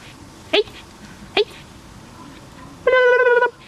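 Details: A very small, one-eyed dog, nervous in a shelter, gives two short sharp yips and then a steady, high, tonal whine lasting about half a second, with a quiet background.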